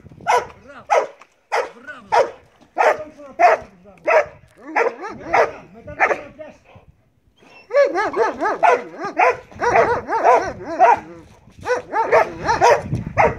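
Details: Marley, a Belgian Malinois, in bite work training: loud, evenly spaced barks about every half second, then a faster, denser burst of barking near the end, with a man's Greek encouragement in between.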